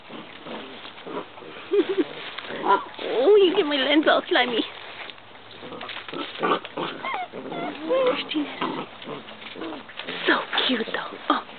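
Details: Basset Hound puppies, interested in visitors, whimper in short curving, wavering whines that cluster around the third and fourth seconds, with scattered yelps after that. Human voices and rustling run underneath.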